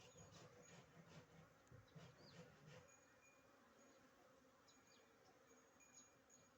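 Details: Honey bees buzzing close by, with a low droning hum that swells and wavers for about three seconds and then fades, leaving faint background hiss.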